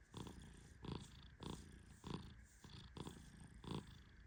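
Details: Snores of Tehran, a male Persian cat dozing deeply under gentle petting: a steady series of short, low, grainy breaths roughly every half second, fairly even in loudness.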